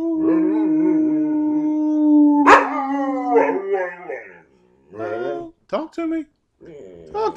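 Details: Nine-year-old male Carolina Dog, adopted from a shelter, holds a steady howl for about two seconds, then breaks into a sharp yelp and short wavering vocal bursts with brief gaps; a person speaks encouragingly nearby.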